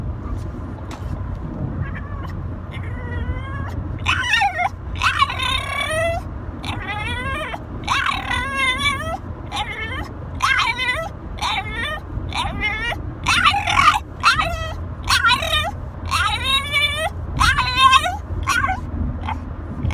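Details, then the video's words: French Bulldog 'talking', said to be telling its owner it loves them. Long run of warbling, whiny, rising-and-falling yowls. Quiet at first, then dense, rapid bursts from about four seconds on, over a steady low indoor hum. "Talking French Bully"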